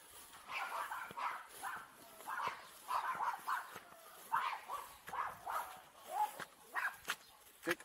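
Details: Farm dogs playing outdoors on a rain-soaked farm, filmed with an Insta 360 EVO camera; short, sharp yapping barks repeat roughly every half second in an excited series, with faint human voices in the background.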